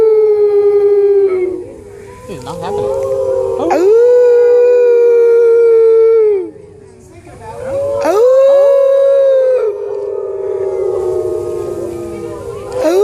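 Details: Wolf at the San Diego Zoo in 2014, in captivity, howling: long, smooth, drawn-out tones that rise sharply then hold steady and fall away, several howls in sequence with overlapping voices and short pauses between.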